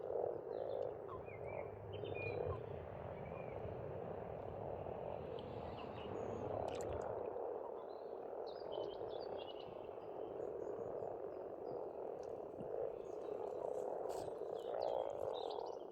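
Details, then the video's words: Massed frogs croaking at an Estonian pond in spring, a steady humming chorus with a low rumble early on, and scattered faint bird chirps in the background. "Расслабляющее пение птиц и лягушек"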